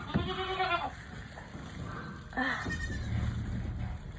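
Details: Mother goat struggling through a difficult birth: a harmonic, wavering bleat of nearly a second, then a shorter, rising-falling bleat after a pause. A faint steady hum sits in the background.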